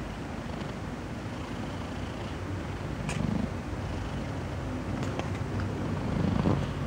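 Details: Domestic cat purring as a steady low rumble that fills the whole recording, with a few faint clicks and ticks over it.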